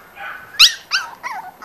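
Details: Sugarbaby litter Corgi pups, five weeks old, let out three short, high yelping whimpers about a third of a second apart, each sliding down in pitch, over a faint hush of background voices.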